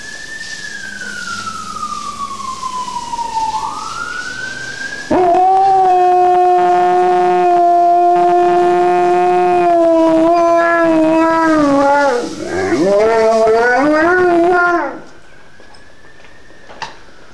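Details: A male Alaskan Malamute, living on the same street as a fire station, gives a long, steady, rich howl in answer to a wailing fire engine siren, as he does every time he hears one.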